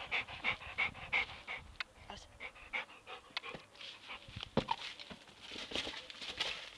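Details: Labrador Retriever named Buddy playing with his football, panting in fast, breathy bursts, about three per second, with scuffling and a few sharp knocks from the ball.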